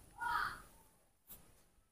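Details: Hand-raised monkey with baby monkey Mobi and monkey Mino nearby, a short high, tonal squeal with bright overtones lasting about half a second, followed by a faint click; fallen flowers and a person talking in Indonesian around it.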